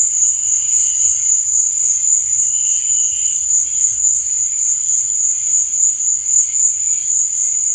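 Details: Crickets chirping at night, a steady high-pitched ringing trill with a fast, even pulse of nearly four beats per second, plus faint lower chirps drifting in and out behind it.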